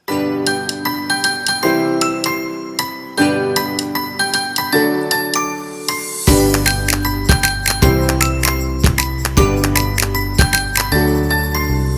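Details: Bright chiming mallet music with a steady bass beat fills the whole recording, and no animal is heard.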